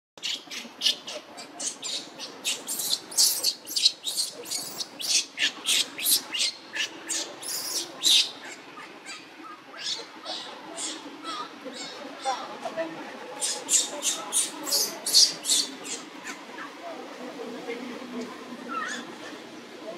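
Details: In Cambodia, around a temple, a tiny newborn monkey cries for its mother with rapid, shrill squeaks and squeals; monkey.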